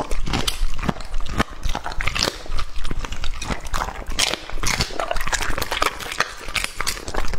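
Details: Two-and-a-half-year-old English Labrador Retriever named Lucky chewing raw meat up close: loud, sharp, irregular crunches and wet smacking bites, several sharp snaps per second, no other sounds.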